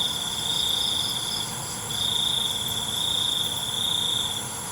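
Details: Crickets at night, singing a steady high-pitched trill that swells into long pulsing bursts about a second or more long, broken by brief dips, over a constant faint high hiss.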